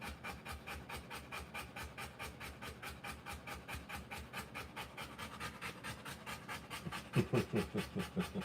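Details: Rottweiler in labour, delivering puppies, breathing in quick rhythmic pants about two and a half per second, with a short burst of higher voiced sounds near the end.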